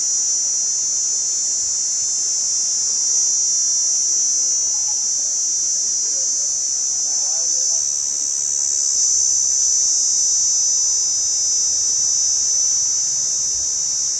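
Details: Cicada droning with a continuous, piercing high whine at constant pitch. A faint murmur sits low underneath, and the loudness stays even throughout.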